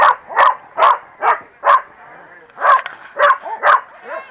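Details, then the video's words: A group of corgis at the PWCCGS NJ Corgi Funday Sunday 2017 barks steadily, more than two barks a second. There is a short pause, then more barks with a little background noise. "Corgi Feared Gang - Rumbles"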